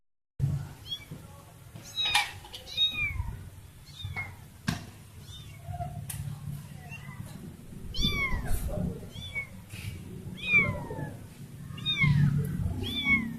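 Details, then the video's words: Lost baby cat calls for her family: a rapid series of high, downward-sliding meows repeated every second or so, some overlapping, with low rumbling and handling noise beneath. "baby cat lost her family"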